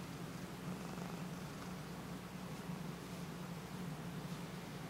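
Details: Tessie, a Siamese cat who likes attention, purrs in a steady, low, rumbling drone that continues unbroken throughout. Filmed in low light with a Sony HDR-CX550V camcorder, with only faint rustling in the background.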